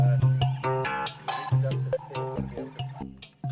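Plucked guitar and bass music with no animal sounds.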